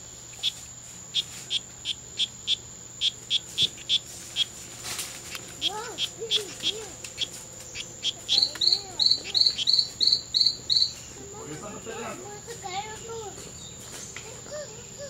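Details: Male strawberry poison-dart frogs (Oophaga pumilio), two males locked in a daylong fight at the C.R.A.R.C. reserve on September 10, 2012; evenly spaced high clicks give way to a faster burst of chirps, with murmuring voices underneath.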